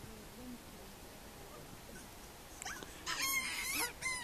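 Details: Gelada in Simien Mountains National Park, Ethiopia: a burst of high, harmonic, whine-like cries after a quiet start.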